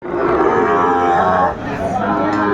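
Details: Sahiwal bulls at the Aftabganj cattle market in Dinajpur district, Bangladesh, 12 February 2025: a sustained, harmonic low moo lasting about one and a half seconds, then softer lowing under a busy market hubbub of voices.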